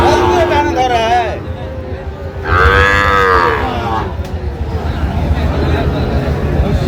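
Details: At Raniganj market on 7 August 2025, where a Gazipur farmer shops for Sahiwal bull calves, a bawling moo opens the clip and a stronger wavering one follows midway. A low market hum and men's voices run underneath.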